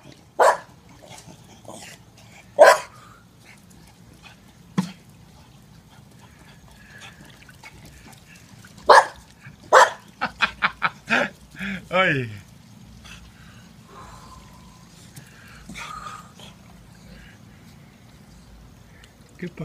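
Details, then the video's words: Staffordshire Bull Terrier at play around a pool, with a few scattered barks, then a quick run of short yips and a woman's voice speaking Spanish. "playing, barking & running around the pool"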